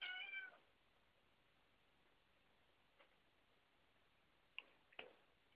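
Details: House cat indoors near a door, one of several cats: a single brief harmonic meow at the start, then quiet room noise with a few sharp clicks and taps.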